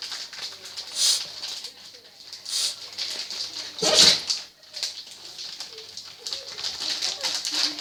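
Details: French Bulldog sneezing over and over, giving short hissing bursts with one strong explosive sneeze midway, while a person talks quietly in the background.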